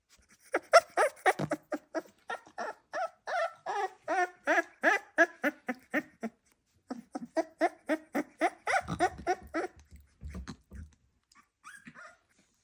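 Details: Staffordshire Bull Terrier puppy makes a long run of short, rapid yappy barks and squeaky grunts, about three or four per second with a brief pause near the middle, ending in softer rustles and a few high squeaks.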